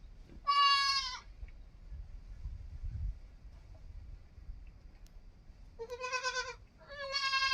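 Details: Three loud bleats from a young goat: one early wavering cry, then after a quiet pause of several seconds two more in quick succession, the last rising slightly, over soft low rumble.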